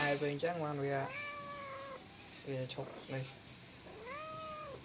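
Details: Young male cat giving two drawn-out, arching meows that rise and then fall, separated by a pause, with a person's voice talking before and between the calls indoors.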